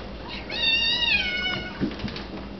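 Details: Cat meowing at a lubber grasshopper, one drawn-out meow of about a second, rising then gently falling, with faint background hum and a soft thump afterward.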